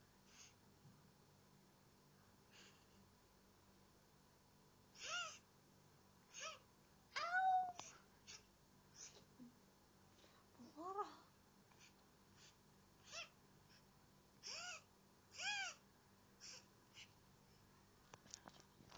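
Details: Male pet cat that says "nyeh" rather than meow: a series of short, nasal, arched calls scattered across the recording, some single and some in quick pairs, over a quiet, steady indoor background.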